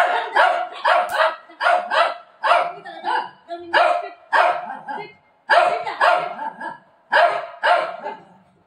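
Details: Shih Tzu named Milo, getting a haircut at home from his mummy, gives a steady run of about a dozen sharp, broadband barks over nearly nine seconds, some coming in quick pairs, with short quiet gaps between.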